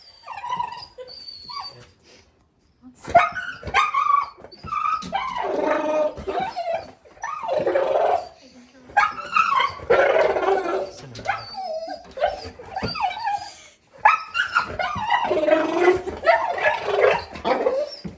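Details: Indoors at a store window, a male Golden Retriever makes his special chattering noises while talking to little birds landing outside, the only time he makes them. Varied whines, warbles and huffy grumbles come in bursts separated by short pauses.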